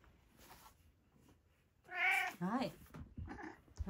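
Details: Pet cat indoors at dinnertime giving one loud, drawn-out meow that rises then falls, followed by a shorter wavering meow, with a person's soft voice and small room noises around it.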